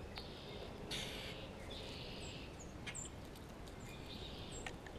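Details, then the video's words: Grey squirrel, recorded in spring, communicating with another squirrel and responding to a hawk close by. Long raspy, buzzing calls are drawn out over about a second each, with quick high bird chirps between them and low outdoor noise underneath. "Grey squirrel vocalizations"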